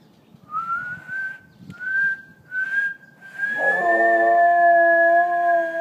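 A Scottish Terrier howls, a long steady wavering note, joining a high whistled tone.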